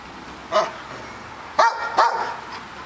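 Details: Gus, a Bernese Mountain Dog, settling into new surroundings, gives three short, sharp barks: one alone, then a close pair about half a second apart, with quiet room background between them.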